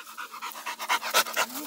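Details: Eight-month-old Pit Monster dog named Hulk Blue, a Brazilian breed related to the pit bull, panting in rapid rhythmic breathy bursts, about five per second, with brief noisy puffs rising in loudness toward the end.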